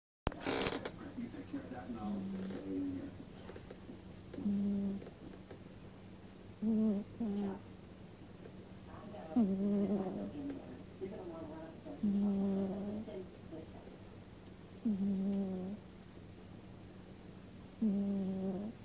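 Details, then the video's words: Sleeping pet cat snoring indoors: a slow series of soft, low, harmonic breathy snores recurring roughly every two to three seconds, with a faint steady hum underneath. "snoring cat"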